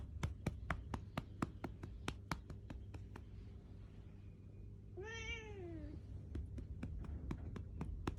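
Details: Six-year-old female black house cat complaining at her owner for patting her rump badly: steady rhythmic pats tap throughout, then one drawn-out, insistent meow that rises and falls, followed by more patting.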